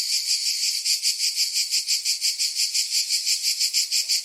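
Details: A cicada's shrill, high buzz throbs in regular pulses, roughly three beats each second, keeping an unbroken metallic rhythm for the whole stretch.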